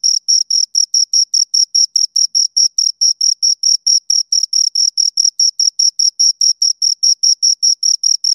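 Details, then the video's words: Two crickets chirping close by, a steady series of short high-pitched pulses repeating about four times a second, each with a sharp upper overtone, on a completely silent background. "Two Crickets Chirp Sounds"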